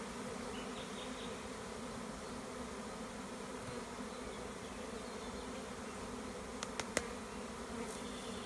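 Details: Honey bee swarm with its queen, leaving an overcrowded hive in warm spring weather in the Tuscan Maremma, being caught by a beekeeper; steady deep buzzing drone, a few sharp clicks near the end.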